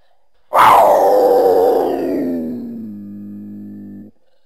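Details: Mountain lion, or cougar, giving one loud harsh scream that starts high and raspy, then slides down into a lower, steadier droning tone, held for about three and a half seconds before stopping abruptly.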